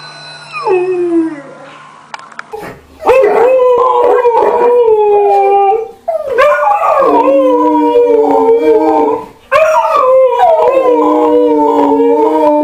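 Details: An Alaskan Malamute or Siberian Husky "talking" and howling gives long, wavering howls with sliding pitch, each rising then falling away; Alaskan Malamute or Siberian Husky.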